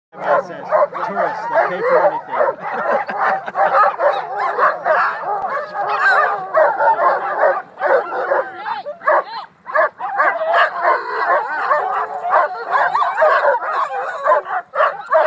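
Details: Sled dogs at a dog sledding outing in Utah, many barking and yipping together in a dense, continuous, overlapping chorus with high whining yelps, and a brief dip in the middle; voices faintly mixed in.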